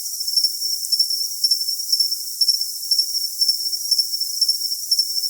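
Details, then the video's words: Cricket chirping in crisp high pulses roughly twice each second over a sustained shrill ringing tone and a bed of bright hiss, with the low end entirely empty. "Cricket Sound for Tinnitus Masking"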